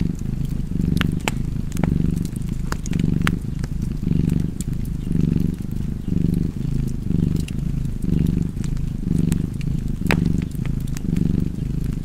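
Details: Steady cat purr by a fireplace, a rumbling drone that pulses with each inhale and exhale about every second, punctuated by intermittent popping crackles of burning logs.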